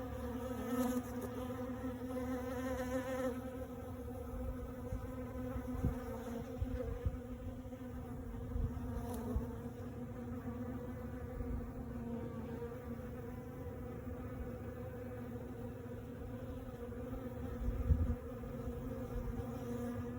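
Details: Honey bees by the hundreds at a sawmill on a warming day, visiting cedar and maple sawdust and ignoring the workers; a continuous, dense humming drone with steady stacked tones, and occasional brief clicks and knocks.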